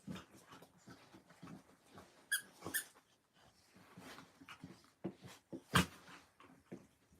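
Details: Friday-morning puppy playtime at an orphanage in Illinois: scattered whines, snorts and grunts broken by bright squeaky yips and one loud sharp yelp, amid scrabbling paws in a small room.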